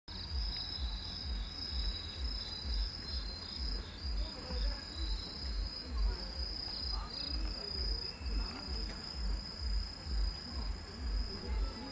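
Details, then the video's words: Grass insects sing clearly at the Jinju Namgang Yudeung lantern festival in South Korea, a steady high continuous trilling band over a heavy low rhythmic thumping beat and faint crowd noise. "진주 남강 유등축제 선명하게 울리는 풀벌레 소리"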